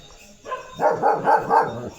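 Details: Leo the German Shepherd roaming his field, a short run of four rapid, tonal barks rising and falling after a brief lead-in, with a person speaking Marathi just before.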